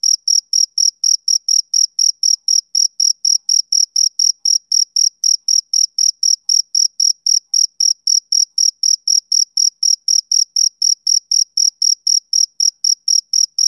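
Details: Rapid, even chirps of a male cricket on a summer evening, high and piercing, about four pulses every second without a break and no other sound.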